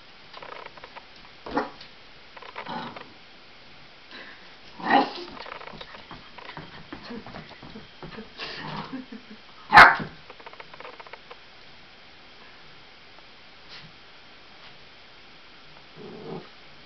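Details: Eight-week-old Lab cross Australian Blue Heeler puppy, afraid of balloons, barking indoors; scattered short yips and barks, one sharp loud bark near 10 seconds, with soft human voices in between.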